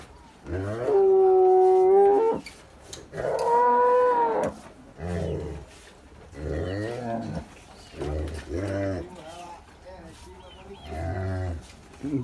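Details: First-calf dairy cows with good milk production, recorded 4 April 2024, lowing in long sustained moos followed by shorter broken calls, about one every few seconds, with faint voices between them.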